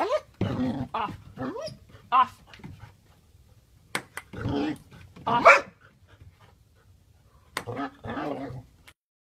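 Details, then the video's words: Australian Shepherd playing table tennis, giving excited whining yelps and a few loud barks in separate bursts, with sharp ball taps and quiet gaps between them. "Австралийская овчарка играет в настольный теннис"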